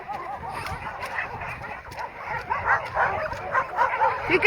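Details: Many shelter dogs at a rescue holding about 350 dogs bark from behind a fence as a visitor greets them; overlapping, dense barks and yips build in loudness toward the end.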